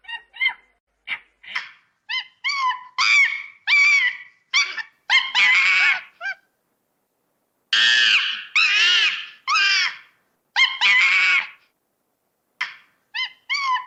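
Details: Monkey in its natural habitat, playing and screaming: bursts of shrill, harmonic, rising-falling calls in rapid clusters, with short pauses between runs and two quieter gaps; no other clear sounds.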